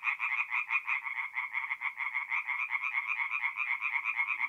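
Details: Chorus of tree frogs at a forest pond by night, mid-April, north-east Italy: fast rhythmic pulsed croaks, about two per second in clear beats, several frogs overlapping into a loud raspy pulsing.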